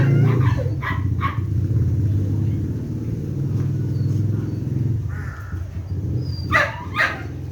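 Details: Belgian Malinois in basic obedience training: two sharp barks near the start, then a louder pair of barks near the end, over a steady low rumble that fills the background.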